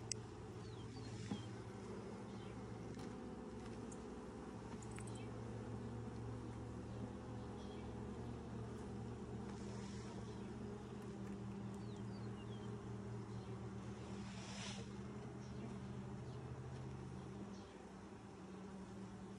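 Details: Honey bees at their hive during the first inspection, six days after the nucs were installed, 2020. A steady low droning hum of layered tones runs throughout, with faint scattered clicks and brief rustling from handling the hive.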